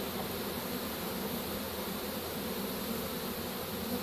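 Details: A captured honey bee swarm in a pole bucket, 3-25-2015, gives an even, unbroken droning hum that is thick and noisy, with no clear breaks or other sounds.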